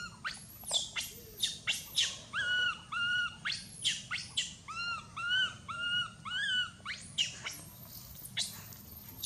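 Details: Loud, insistent crying from Mila, a baby monkey bitten and mistreated by her mother; piercing arched screams alternate with level, quavering cries, about two calls a second in a continuous distressed stream.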